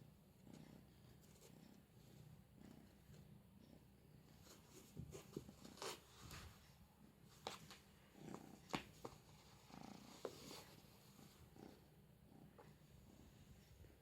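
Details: Four-month-old female straight-eared Scottish Fold kitten playing indoors with a cat teaser toy: a soft, low rumbling purr swelling in pulses about once a second, overlaid by sharp taps, scratches and rustles of play.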